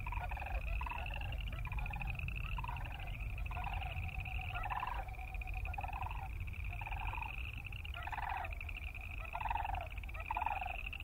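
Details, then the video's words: Croaking boreal chorus frogs form an unbroken, high, fast-pulsed chorus; separate lower pulsed bursts repeat about every second, and a low rumble of background noise continues throughout. "Boreal Chorus Frog sound"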